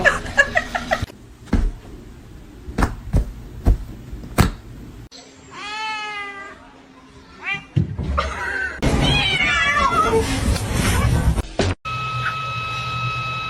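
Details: House cat meowing amid laughter and chatter: scattered clicks and taps, then a run of short, falling, repeated mews, followed by noisy yowling cries and a steady tone at the end.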